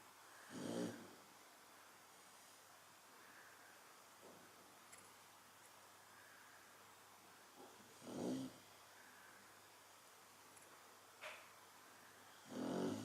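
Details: Chow Chow asleep, giving snores spaced several seconds apart: three louder rasping breaths and a few softer snorts and clicks between them, with a quiet background hiss.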